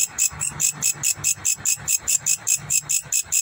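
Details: Indonesian grasshopper making a shrill, sizzling pulsed sound, short bursts repeating rapidly and regularly at about seven per second, with a faint low murmur in the background.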